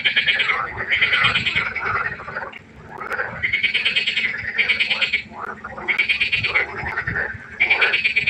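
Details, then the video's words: Frog concert at night by the pond: dense bursts of pulsed, rattling croaks lasting about a second each, surging and pausing in overlapping waves with a brief lull near three seconds. "1 Stunde Froschkonzert. Frosch Geräusche quaken. Frösche Geräusche Konzert"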